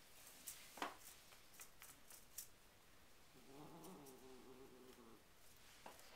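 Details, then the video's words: Grace the cat making a quiet, low, wavering vocal sound lasting about two seconds, with faint room noise and a few soft clicks around it. "Grace Cat make funny noises"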